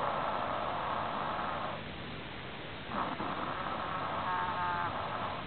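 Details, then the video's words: Prairie dog giving a strange snore: a rough, buzzy, hissing drone held for nearly two seconds, a short pause, then a second raspy stretch with faint tonal streaks, over a steady background hiss. "Snoring of a prairie dogs"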